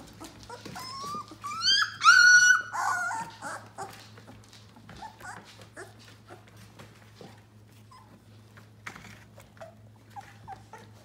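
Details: Yellow Labrador Retriever puppies at 18 days old: a cluster of squealing whines early on, rising and falling, then quieter scattered squeaks and rustling in a small room.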